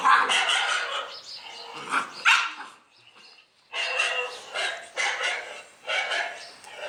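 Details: Dog barking in several harsh, broadband bursts: a cluster in the first second, a sharp bark near two seconds, then a brief pause and a run of repeated barks over the final three seconds.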